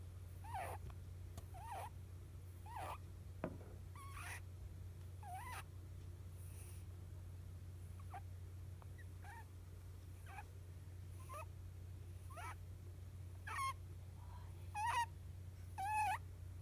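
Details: Sleeping rabbit giving rare snoring squeaks: thin, wavering chirps that rise and fall, coming at uneven intervals roughly once a second, over a steady low background hum.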